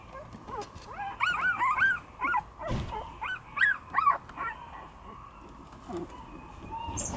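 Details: Two-week-old Shiba Inu puppy, eyes just opened, gives a run of thin, high whimpering squeals, each arching up and down, about a dozen in four seconds, then quiet with faint rustling.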